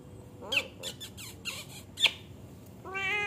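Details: One of three young kitten brothers calling with thin, high, brief squeaky mews, then a steadier drawn-out meow at the end, over faint room noise.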